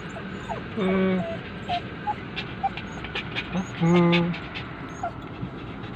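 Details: Poodles crying with the owner away, giving two drawn-out, low, nasal whines about three seconds apart, each lasting roughly half a second, with brief thin whimpers and soft clicks between them against a constant background hum.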